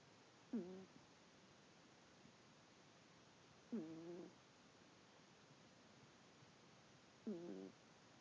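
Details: Sylvester, a pet cat, snoring in his sleep: three short nasal, harmonic snorts, each about half a second long, arriving roughly every three seconds over a quiet background hiss.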